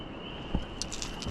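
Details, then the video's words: A distant chorus of spring peepers at a creek on the East Coast, loud for their size, blends into a steady high-pitched ringing over rushing water. "There's those spring peepers. You can hear them back there."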